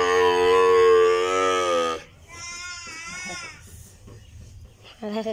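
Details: Calf bawling while a nose rope is tied: a loud, steady two-second bawl, then a shorter wavering cry, handling noise, and a brief sharp call at the end.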